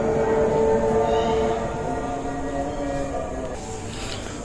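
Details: Steady rumble of a train with sustained horn-like tones, strongest in the first second and a half, fading into a broad mechanical hum with no animal voice.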